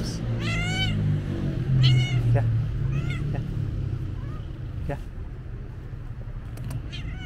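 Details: Black-and-white stray cat greeting its feeder with short arched meows, three clear ones in the first few seconds then fainter calls, against steady low street rumble and a brief voice.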